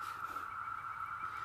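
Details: Brood IX 17-year periodical cicadas in NW North Carolina, 2020, fill the treetops with a steady, droning chorus as males call to attract females for mating.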